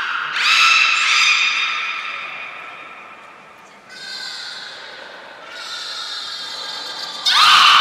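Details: Belugas Nana, Niko and Mirai during a training session at Port of Nagoya Public Aquarium, 23 February 2023; bright harmonic whinny-like whistles open the clip, fade through the middle, then return as buzzy tonal calls with a loud burst at the end.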